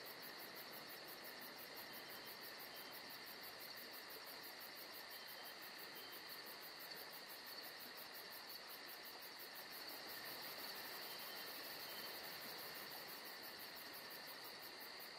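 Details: Summer night in Georgia with crickets calling: shrill pulsed trills beating steadily at roughly three per second, backed by unbroken mid-pitched droning and a soft wash of background noise.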